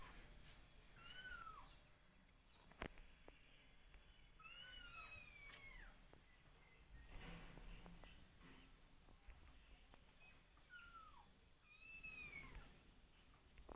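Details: Little kittens meowing to call their distant, watchful mother; scattered high, falling meows, some overlapping in pairs, sound over a noisy, rumbling background with occasional knocks.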